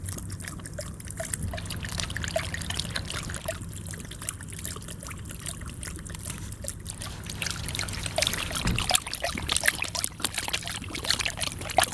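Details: Water trickling and splashing steadily from an outdoor faucet, with a low hum underneath; no animal voice is heard.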